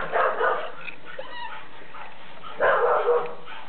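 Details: Puppy siblings indoors give two short muffled barks or yips, the first at the start and the second about two and a half seconds later, over a steady low background hum.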